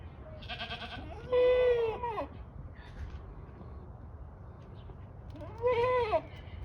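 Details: Kiko goat at Assiniboine Park Zoo in 2023. Two loud, quavering, nasal bleats about four seconds apart, with a short buzzy sound before the first one and a low steady rumble throughout.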